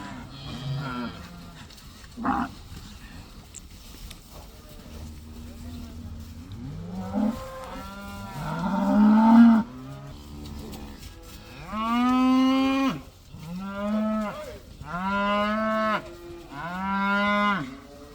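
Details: Cows leaving the barn for the first time moo in turn, starting quietly with scattered calls, then a series of loud, strong moos every two to three seconds near the end.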